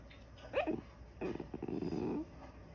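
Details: White Shiba Inu talking in its sleep, the sounds resembling sneezes or coughs: a short, sharp rising yelp, then a rough, grumbling, huffing vocalization lasting about a second, in a quiet room.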